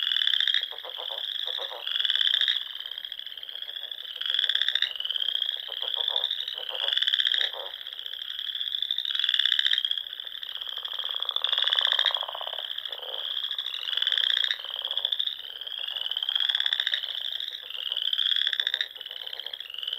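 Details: Spring frog chorus at dusk in the Sandhills of Nebraska, among small lakes and ponds in rolling dunes: dense overlapping high trills in bursts of one to two seconds, with lower pulsed croaking beneath.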